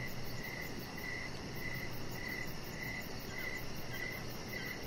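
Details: Evening crickets near a deck with a chihuahua puppy named Rocket resting outside: evenly spaced chirps, about eight in a row, roughly every 0.6 seconds. A rapid high-pitched trill runs continuously above them and a dull low background hum runs beneath.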